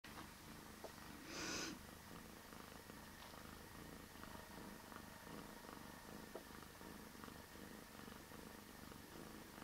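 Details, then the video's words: Bear, a domestic cat, purring very deeply: a low, steady rumble throughout, with a brief louder rustling burst near the start. "Bear deepest purring cat ever"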